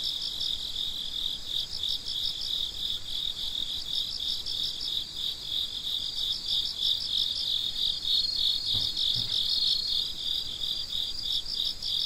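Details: Midnight cricket chorus: continuous high-pitched pulsed chirping from many insects, steady and even, with two soft low thumps near the ninth second.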